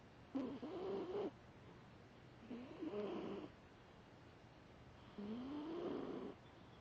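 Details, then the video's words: Deeply sleeping foster cat snoring hard, nostrils flaring; three nasal whistled snores of about a second each, wavering then climbing in pitch, with short silent gaps between breaths. "Snoring Hard"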